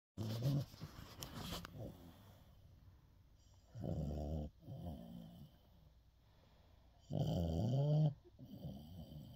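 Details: Sleeping dog snoring, recorded 5-10-24: deep, rasping, low snores of about a second each, coming every three to four seconds, with quiet breathing between them.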